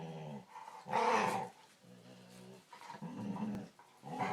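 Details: Pet dog making weird, talkative sounds: a few low, drawn-out groaning tones with rich overtones, one louder, rougher outburst near the middle, soft pauses between.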